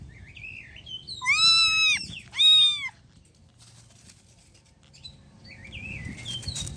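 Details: A street-living stray cat gives two loud, drawn-out meows in close succession, followed by quieter, faint chirping sounds near the end.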